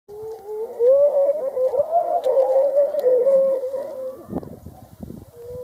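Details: Grey seals fighting: a long, wavering, howl-like wail holds steady for about three and a half seconds, rising and falling slightly in pitch, then gives way to bursts of splashing and thrashing.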